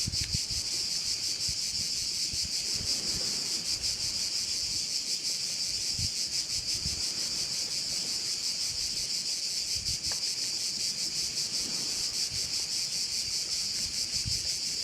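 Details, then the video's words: Crickets shrilling at a Korčula bay in Croatia, an unbroken bright buzzing wall pulsed about three times per second for fifteen seconds, with faint scattered wind bumps underneath. "Korčula - view of one of the bays in Korcula with sounds of crickets"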